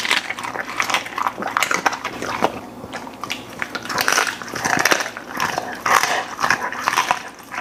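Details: Golden Retriever finishing its bowl indoors: beef lung, chicken breast, sliced steak, duck heads, flying fish, vegetable jelly, freeze-dried pieces. Steady loud chomps and crunches, with bursts of faster chewing and a faint room hum.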